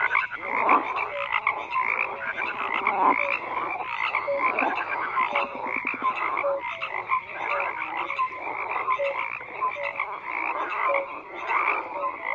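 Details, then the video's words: A thick chorus of croaking frogs, many voices overlapping in rasping pulsed bursts and brief clear tonal notes, the din continuous with small swells in loudness over about twelve seconds. "FROGS CROAKING"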